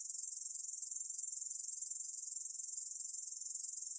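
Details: Korean bush cricket singing, a continuous high, dry buzzing trill made of very fast, even pulses, steady in loudness throughout, with no other sounds.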